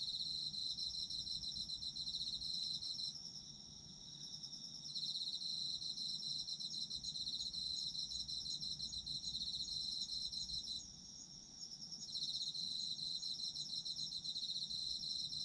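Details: Autumn insects singing together, high, rapid trilling chirps forming a steady ringing layer, with two short dips in loudness where part of the chorus stops and restarts.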